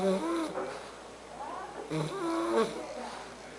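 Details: Argus, a three-month-old Bulldog puppy, snoring indoors in a small room: two rasping breaths with wavering, layered tones, about two seconds apart, each fading between breaths.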